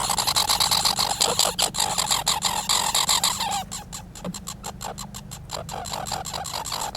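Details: Squirrels making noise: loud rapid, uneven runs of harsh broadband pulses continuing throughout, with a low steady hum underneath.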